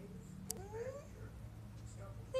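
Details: Domestic cat indoors on a lazy day, having come in from outside meowing and wanting its owner out on the balcony; two soft rising meows, the second stretched and climbing, over a low steady hum with a sharp click early on.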